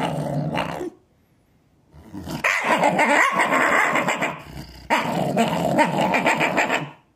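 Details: Shiba Inu kept indoors growls at feeding time while slow to eat; a brief growl, a second of silence, then long, harsh, rasping growls with rapid pulsing that rise and fall in loudness.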